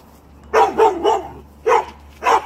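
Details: A domestic dog barking repeatedly: three sharp, mid-pitched barks about a quarter second apart, a pause, then two more, over a quiet low hum.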